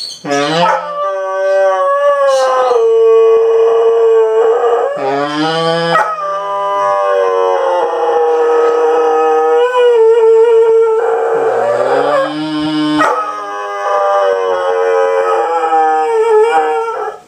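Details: Airedale Terrier male dog 'singing' in a series of long, drawn-out howls, each rising at the start and then holding a steady note for several seconds, with short breaths and yelping onsets between phrases.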